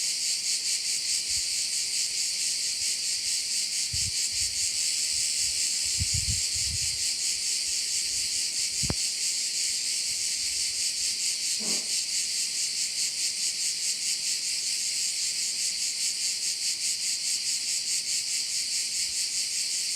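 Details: Crickets calling over a bay on Korčula, Croatia: a dense, steady high-pitched shimmering chorus with a gentle rapid pulse throughout, plus a few soft low thumps early on and a single sharp click near the middle.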